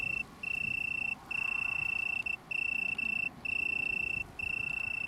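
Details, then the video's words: Near Brighton, UK, on 21 September 2019, an Italian tree cricket of a small colony gives five bright, even trills of about a second each, split by brief gaps. Quiet low-frequency background hum. "Italian Tree Cricket"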